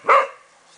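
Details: Cavalier King Charles Spaniel giving a single short, sharp bark that fades quickly, with nothing else heard.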